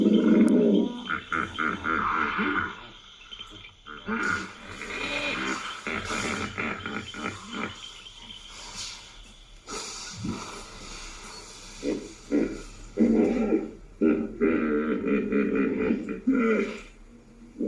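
A hippopotamus gives deep, throaty grunts in rapid, uneven bursts, somewhat like a pig.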